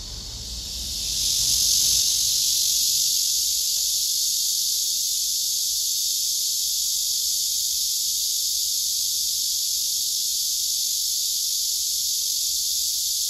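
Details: Male cicada song with a second cicada responding very loudly: a high whining buzz that swells up over the first second or two, then holds strong and even to the end.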